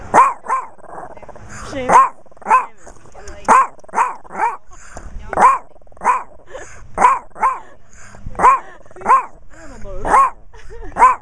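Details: Persistent yapping from a Chihuahua, captured on a Kodak Zi8 in macro: shrill, nasal barks repeated about every half second to second, frequently doubled, around eighteen in all, with a slight growly edge and little else audible.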